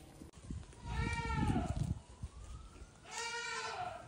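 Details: Baby goats on a farm, hopping around and eating grass; two wavering, nasal bleats with rich harmonics, one near the start and another after a pause, over low rumbling handling noise.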